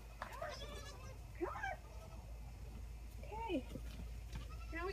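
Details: Orphaned Boer goat kids at bottle-feeding time, filmed on an iPhone propped on a gate: short wavering bleats rise and fall in clear arcs, two or three calls over a few seconds, with a woman talking softly to the kids throughout.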